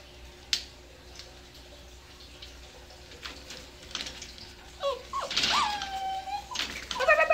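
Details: Seven-week-old dachshund-basset mix puppies playing indoors; a puppy gives a thin, drawn-out whine followed by short high yips near the end, after quiet rustling and a person soothing it.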